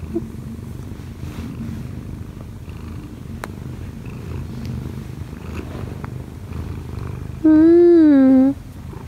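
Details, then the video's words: Kkobugi, an odd-eyed Munchkin cat aged one year and four months, purrs gently while kneading on its owner in the morning. A faint low purr runs throughout, then a clear, wavering tonal cry rises and falls near the end. "엄마 위에서 꾹꾹이 골골이 하는 꼬부기"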